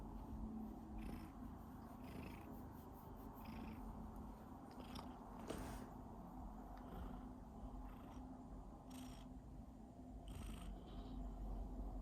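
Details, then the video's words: Pet cat coughing as it purrs; a dense, low, rumbling purr runs throughout, broken by scattered short harsh clicks and bursts. "Cat cough when purring"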